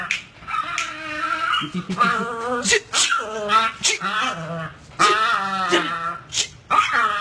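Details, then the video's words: Pit bull puppies biting a set of tires while playing give strained, wavering growl-whines rich in overtones, in short bursts broken by brief pauses, with sharp clicks and knocks between them. "Pitbull puppies bites tire set - cachorros pitbull muerde juego de neumáticos"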